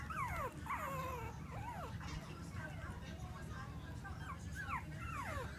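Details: Female Bichon Frise puppy in Clearwater, Florida, whining in thin, high whimpers that slide down and loop up again, several overlapping cries in quick succession over a steady low rumble in the background.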